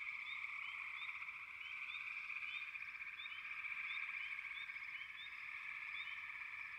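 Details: Frogs croaking in a thick chorus: a constant, ringing drone with rapid short rising chirps layered on top, about four per second, irregularly spaced.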